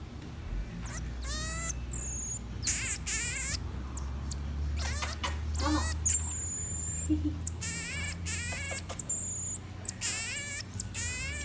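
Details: Pet common marmoset monkey eating blueberries indoors: thin, steady high whistles alternate with wavering, harmonic-rich cries that rise and fall in short bursts, with a soft low hum underneath throughout.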